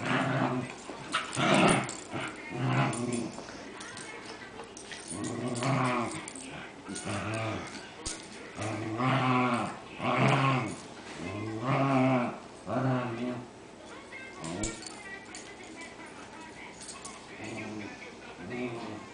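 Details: Two Cairn Terriers play with a third dog, giving short harmonic barks and rough growls in repeated bursts.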